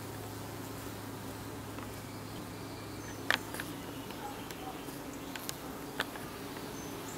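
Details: Evening fanning by honey bees at their hive entrance, a constant deep drone with faint overtones, broken by a few sharp clicks and thin high chirps.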